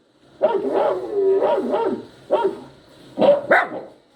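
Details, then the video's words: Poodle puppy crying and yowling while a poodle listens: drawn-out, wavering whines that rise and fall, about four separate cries, the last two sharper and higher. "poodle listening to the crying sound of the puppy | yowling sound of puppy"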